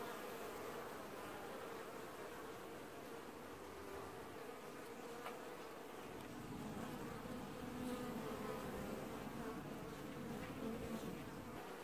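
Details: Honey bee colony wash-boarding at the hive in an apiary, early July 2019: a dense, steady buzz of many bees with a sustained hum band and overlapping wingbeat tones, swelling slightly louder toward the end.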